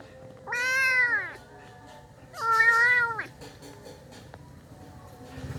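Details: Abandoned street kitten whose mother left it, giving two drawn-out meows, each nearly a second long, that rise then fall, separated by a short quiet pause over a low background hum.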